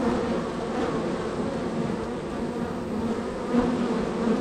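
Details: A busy honey bee hive, third in a row, with many bees coming and going on a very active day; a continuous, even droning buzz with a slight swell near the end.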